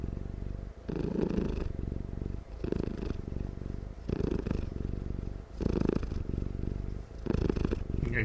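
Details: Sleepy cat giving an extra loud, nonstop purr: rhythmic low rumbling bursts about every one and a half seconds, each inhale and exhale forming a separate throbbing phase, recorded close up indoors.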